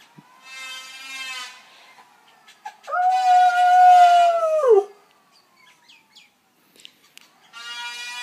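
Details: A dog howls in response to a planer: one sustained, steady tone lasting nearly two seconds that drops away at the end, set between loud bursts of the planer's whining machine noise.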